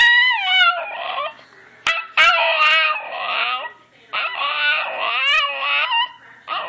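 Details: Talking back, the dog Miki opens with a falling whine, then strings together warbling, howl-like phrases in uneven bursts, with a sharp click-like sound near the two-second mark.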